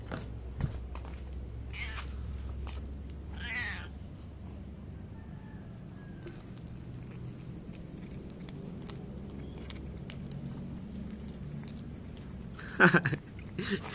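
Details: Domestic cat making cute noises and rewarded with treats; a short soft meow early on over low indoor rumble, then a sharp, bright meow with a couple of quick follow-up sounds near the end.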